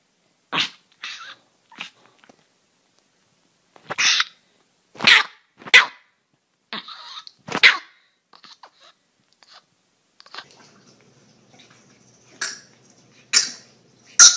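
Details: Dog barking in a funny compilation of barking dogs and puppies: short sharp bursts in irregular clusters separated by silences, with a faint steady hum in the last few seconds.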